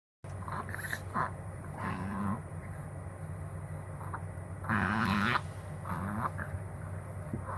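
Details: Chihuahua having a reverse sneeze, confirmed by a vet; irregular snorting, honking gasps in rapid bursts, with one louder spell near the end over a steady indoor hum.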